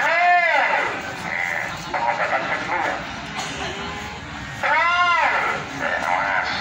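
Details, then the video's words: Very large goats at the Babat goat market in Lamongan bleat twice in a wavering, nasal rise and fall, at the start and near the five-second mark, over steady crowd chatter and market bustle. "kambing2 super jumbo pasar kambing babat lamongan"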